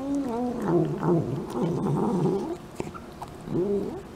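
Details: Domestic cat vocalizing as it eats, a near-continuous low warbling grumble with bending, wavering tones for about two and a half seconds, then a pause and one shorter rising-falling murmur.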